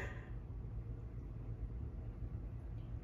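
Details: Only a low indoor rumble is heard, with no animal voice present.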